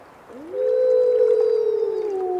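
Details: Single wolf howl that swoops upward, then holds a smooth, level, pure tone for well over a second before dipping slightly at the end, loud and clear with little background.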